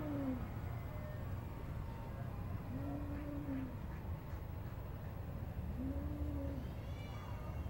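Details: Soft, level meows from a garden cat playing with a grasshopper, three brief calls spaced about three seconds apart, nearly buried in steady low background noise.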